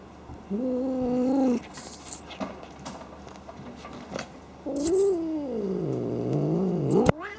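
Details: A playful house cat, not angry, snorting like a pig: two low, droning, harmonic grunts, one short and steady, the second longer and wavering up and down, with small rustles between them.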